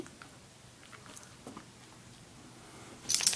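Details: Near silence indoors with a few faint soft clicks and taps, ending in a sudden loud crackling burst of rustling.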